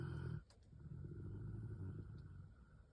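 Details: A sleeping puppy snores: a low, rumbling drone with a brief louder, throaty burst at the start, then a steady, soft grinding hum that holds for the remaining few seconds.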